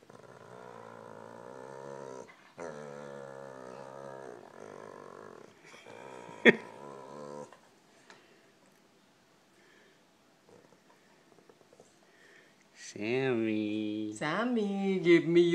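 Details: Pet dog with a new toy giving drawn-out, wavering growl-moans in several bursts over the first seconds, then quiet, followed by a woman's voice repeatedly asking for the toy.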